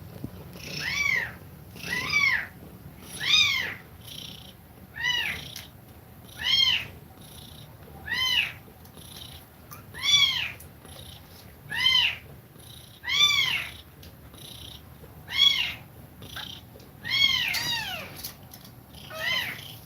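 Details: Domestic cat feeding milk to kittens, breathing fast; high, arched mews with bright overtones repeat steadily about every 1.2 seconds, around sixteen in a row, over a faint low hum indoors.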